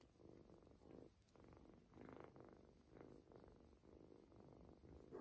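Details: Adopted ginger kitten purring while getting a belly massage to help it go to the toilet, nearly falling asleep; soft, low, steady rumbling purr in pulses about once a second, quiet indoors.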